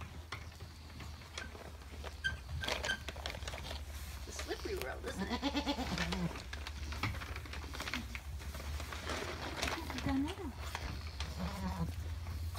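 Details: Alpine goat giving birth to triplet kids. Several wavering, harmonic bleats sound around the middle and again near the end, with people talking throughout and a steady low hum.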